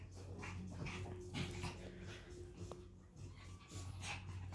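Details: Chihuahuas play fighting on a new rug, full of energy: short scuffling growls and whimpers come in quick irregular bursts over steady low background music.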